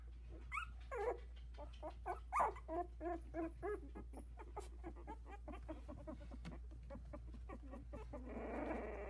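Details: Havanese puppies, a litter of four aged 16 days, in a whelping box as they start to walk; shrill rising-and-falling squeals and whimpers come fast in the first half, softening to small squeaks, then a rush of rustling noise at the end.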